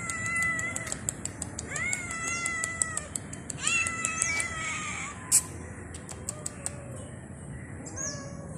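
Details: Street stray cat calling at a person with a run of repeated meows, each rising then falling, spaced about a second apart, alongside sharp clicks and one loud snap midway.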